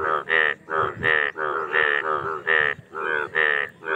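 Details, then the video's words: Indian bullfrog mating calls, loud nasal, buzzy croaks with strong harmonics, about eight bursts in four seconds, a few frogs trading calls close by. "Indian Bullfrog Sound | Frog Mating"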